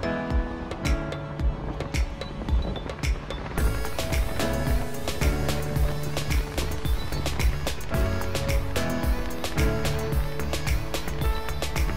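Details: Loud rhythmic music with steady beats and layered instruments fills the whole stretch, with no animal voice standing out.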